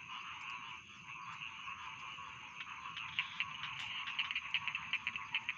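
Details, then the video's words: A rice field frog calls in quick ticking bursts, about two and a half per second, starting midway and pressing on steadily over a continuous background chorus of trilling frogs, offered as sleep sounds. "Bedtime Frog Sound || Suara Katak Sawah Pengantar Tidur"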